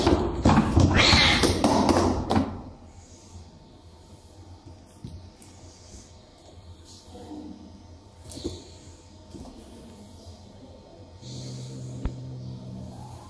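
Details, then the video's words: Angry indoor cats Ghania and Hadia, Hadia especially aggressive, try to dig the younger cat Tooba out of a cardboard box she hides in; a loud, harsh, noisy hissing burst fills the first two seconds, then faint scuffles and soft thuds. "angry cat trying to bring out what is hidden in the Box- cat fight with full sound"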